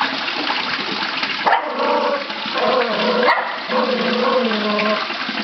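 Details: Australian Silky Terrier barking at turtles, giving harsh, drawn-out barks and whine-like tones in uneven bursts over a constant rush of running water.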